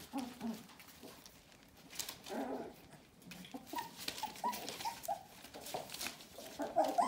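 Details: Four-week-old Bohemian Shepherd puppies of the F litter at a kennel make soft, high whimpers and short squeaky yelps, scattered through rustling and clicking noises.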